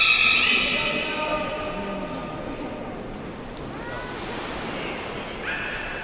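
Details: Beluga kept at Port of Nagoya Public Aquarium, whose soothing voice is featured. A strong, harmonic whistle opens the clip and fades slowly over about two seconds, followed by fainter tonal traces over a hollow indoor background hum.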